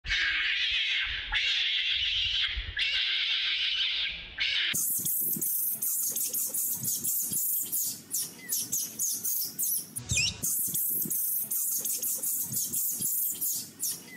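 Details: Adult monkeys crying loudly, wanting to drink milk: long shrill high-pitched wails in the first seconds, then a dense run of harsh, broadband screeching bursts that barely pause.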